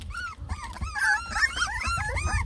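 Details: Lemon and tricolor Beagle puppies, a litter of ten, fuss over their first taste of food, giving a tight run of bending, squeaky whimpers that overlap one another against a low background rumble.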